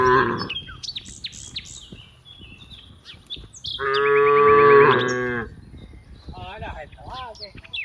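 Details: Cows in a large group playing in green rice fields; one strong, sustained moo in the middle, with scattered bird chirps and short calls before and after.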